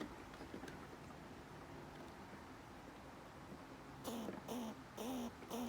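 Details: Squirrel; threat call; intimidating other squirrels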